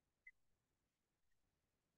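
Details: A pygmy shrew (Sorex minutus) gives one short, sharp, high, parrot-like squeak, then a fainter second squeak about a second later, over a quiet room background; a remarkably loud call for such a small mammal.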